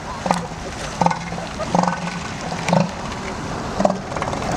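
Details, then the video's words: Elephant seals at a point in California near Morro Bay, heard as low, guttural pulsed calls repeating about once a second, with voices and steady background noise from the colony and people. "Sea elephants point in California near Morro Bay"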